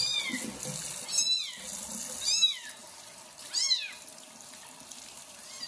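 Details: Loud kitten after his first bath while a pregnant foster mother cat licks him; sharp, high, downward-sweeping meows about every second, with hiss in the background.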